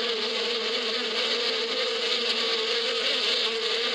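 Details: A swarm of bees in springtime in the rural desert steppe gives a flat, sustained hum, low pitched with buzzy overtones above, never rising or falling, over a steady airy hiss.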